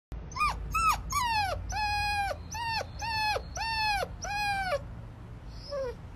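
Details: Crying puppy giving about nine high, whining yelps in quick succession, each rising then falling, with rich overtones. A low rumble runs underneath, and a fainter squeak follows at the end.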